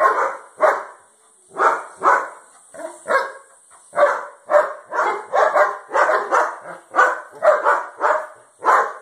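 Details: German Shepherd security guard dog from Cambodia, one of a pair, barking hard: about fifteen rough, loud barks in quick succession, some doubled, spaced roughly half a second apart, over a faint constant high-pitched whine.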